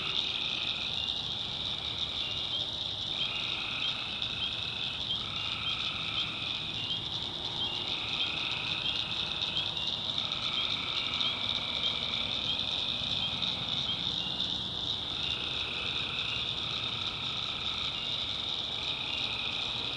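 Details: Tree frogs calling through the night in a North Carolina backwoods swamp: repeated one-second buzzy trills, roughly every two seconds, layered in a chorus over a constant shrill cricket background.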